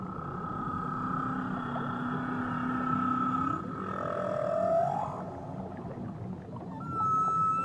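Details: A whale off Tahiti sings long, sustained moans, a low tone holding steady before sweeping up into higher, wavering notes, then a brief rising whistle near the end, over a constant underwater hiss.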